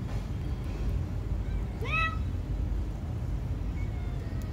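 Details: A kitten gives one short, high meow, rising then falling with clear overtones, around the two-second mark, over a steady low rumble throughout.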